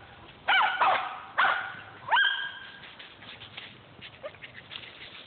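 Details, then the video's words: Squirrel hunting dogs in Millen let out three loud, clear barks in the first two seconds, the last one long and drawn out, then only faint distant yips over background hiss. "Squirrel hunting dogs millen"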